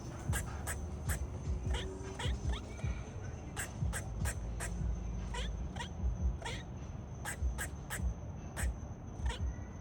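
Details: Squirrel giving repeated short, harsh barks, irregularly spaced, sometimes in quick pairs, roughly two or three per second. Beneath them runs a heavy low rumbling background with a thin steady high whine.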